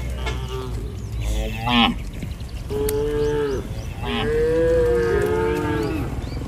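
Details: Tame cattle herd walking home along a village road with their herder in rural countryside; two drawn-out, steady moos in the second half, preceded by a shorter call, over a low rumbling background with faint chirps.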